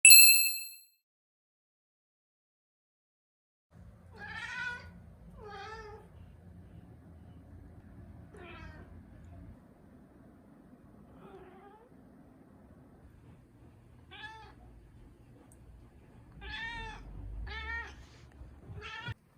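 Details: Turkish Angora cat named Mū, a pet, gives a series of about eight short meows, some rising and falling, spread over the clip after a bright chime-like ding at the start.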